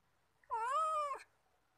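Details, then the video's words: Domestic cat during a fight over store-bought fish; a single drawn-out, harmonically rich yowl lasting under a second, gently rising then falling at the end, in a quiet indoor setting. "Morning Purrs Cats Fight Mrrps/No Traps! This fight happy catty crypto youtube/heliana the cat fight"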